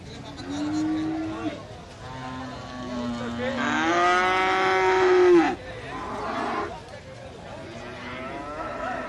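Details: Calves at the Jetis livestock market in Ponorogo, Indonesia, on a Friday Pahing market day; several overlapping moos, one rising and swelling then cutting off abruptly, amid a busy background of market noise.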